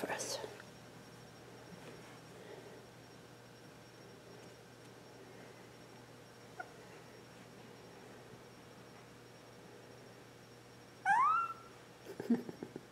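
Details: Bailey, a two-week-old female Border Collie puppy born April 18th 2014, indoors: after a long near-silent stretch comes one short, high, rising squeal with bright overtones, then a brief lower squeak near the end.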